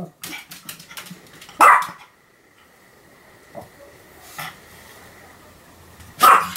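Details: Pomeranian named Sam, recorded 7 October 2015, barking continuously: two sharp, high barks about four and a half seconds apart with a softer yelp between, and light tapping or clicking noises before the first bark.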